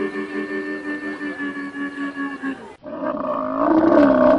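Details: Yelling camel: a harmonic groan pulsing rapidly for almost three seconds, then after a brief break a louder, rougher roar with a wavering pitch that rises toward the end.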